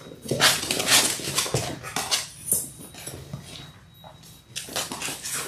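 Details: Six-week-old Labrador Retriever puppies, a litter of six born January 18, 2022, indoors on a live puppy cam: short, bright yips and whimpers about twice a second, with soft knocks and shuffling around them.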